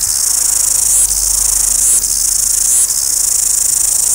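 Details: Noisy cicadas in Wellington, New Zealand, fill the air with a continuous shrill buzz, pulsing rapidly and dipping briefly about every second.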